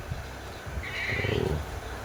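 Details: Sheep (Ovis aries), bleat.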